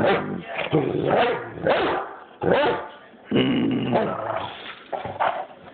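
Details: Great Dane named Demon horse-playing indoors: bursts of rough, grumbling growls and moaning vocalizations, rising and falling, coming in uneven pulses roughly every second, with brief quiet gaps between.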